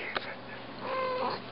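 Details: Female pet cat indoors, coaxed by her owner to speak, gives a short tonal meow of about half a second, level then dipping slightly at the end, preceded by a sharp click in a quiet room.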